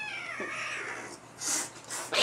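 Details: Domestic cats indoors, a black-and-white mother and her black offspring just returned home after living elsewhere, the mother hostile; a drawn-out harmonic meow slides gently downward over the first second, followed by hissing bursts of noise.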